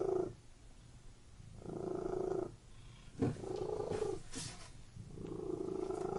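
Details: Cat purring in a room, the rumbling purr rising and falling in long breaths, broken near the middle by a brief click and a soft rustling movement.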